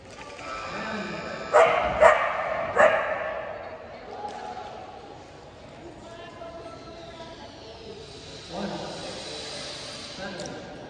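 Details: Boston Terrier, AKC-registered, recorded January 2022: three sharp, harmonic-rich barks in quick succession near the start, then a long quieter stretch with low murmuring and one softer bark late on.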